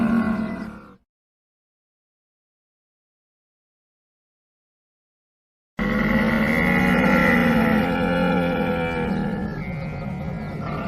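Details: A camel grumbles briefly. After about five seconds of complete silence, a dense, throaty bellow follows, rich in harsh overtones and pulsing, holding steady loudness until the end.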